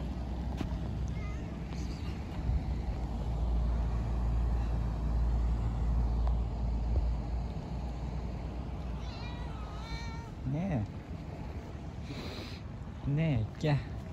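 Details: Stray cats being fed in a park in Istanbul, one of hundreds living there; a few short rising-then-falling meows near the end, two or three in quick succession, over a steady low traffic rumble and a man's voice.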